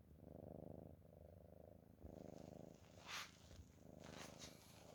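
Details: Cat asleep and snoring: deep, rough rumbles in long breaths of about a second, broken by short pauses, with a couple of brief rustling noises partway through.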